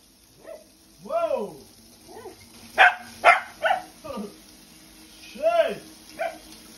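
A corgi voices its dislike of a bath in rising-and-falling, yodelling whines, some doubled and wavering. Short, harsh barks break in at the midpoint before the complaining whines resume.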